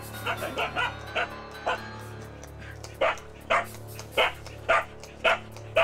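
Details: Jindo dog confronting a wild nutria that invaded its owner's field in Korea, barking in short bursts roughly every half second, with a low steady hum and background music underneath.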